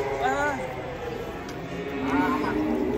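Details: During a truck unloading of giant fat cattle on a very long rope, two short rising-and-falling moos sound about two seconds apart, over music and voices.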